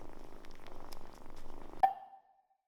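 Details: Domestic kitten that soon lets its guard down around people, giving a soft, even low purr for under two seconds before a sharp ping-like tone cuts in and fades into silence.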